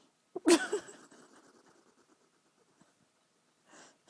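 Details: Pet female hedgehog indoors, angry at being woken for nail clipping: a sharp explosive sneeze-like huff followed by a quieter crackling, wheezy rattle fading over a second, then a soft puff near the end.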